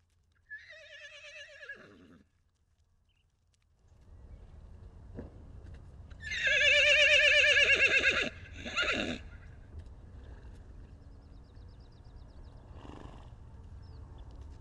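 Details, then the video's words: Wild horse at the Salt River in Arizona, a baby horse separated from his mother, recorded with a long-range microphone: a short quavering whinny, a pause, then a loud, longer trembling neigh with a brief tail, over steady low rumble. "Salt River Wild Horses - The story of a baby horse separated from his mother"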